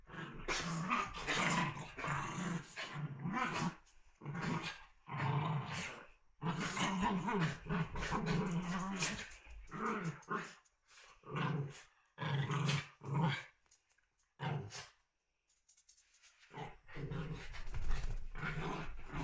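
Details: Young dogs at play: a long run of low rough growls in choppy bursts separated by sudden silences, the rumbling strong and deep, later bursts shorter and more scattered, with background hiss.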